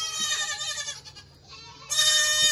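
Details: Goat kids from the 2022 kidding season calling together in a loud barn; a long wavering bleat, a quieter lull, then a second strong, bright bleat rising abruptly near the end.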